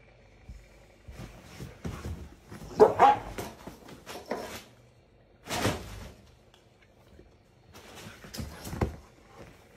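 A Rottweiler gives a few deep, gruff barks, spaced several seconds apart.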